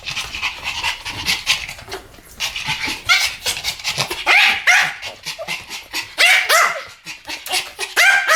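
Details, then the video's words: A pair of Pomeranians barking in duet, high sharp yaps tumbling over one another in uneven bursts, some barks rising to squeaky peaks, with little pause between them. "ポメラニアン Pomeranian デュエット吠え 1000回 犬の鳴き声"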